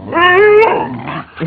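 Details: Pit Bull during a play fight, a loud harmonic whining growl that rises briefly then breaks into rough snarling, followed by a short quieter growl.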